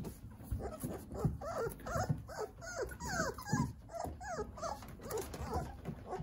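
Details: Nine Jindo puppies at play under the care of their mother Sarang; a dense stream of short squeaks and bending whimpers, several pups calling at once, with rustling movement throughout.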